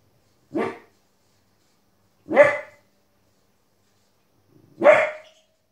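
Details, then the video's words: A 15-week-old female Border Collie puppy, indoors, barks at wolves and other animals shown on TV. She gives three loud, abrupt single barks, spaced roughly two seconds apart, with quiet between them. "Border Collie puppy Barking at TV"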